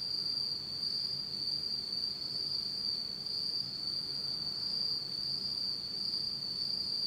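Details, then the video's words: In Japan on an autumn night, pitch dark, insects keep up a constant high buzzing trill with a faint very high whine above and a soft low background hum. "真っ暗闇の秋の虫の声 Beautiful sound of insects in the fall of Japan in total darkness."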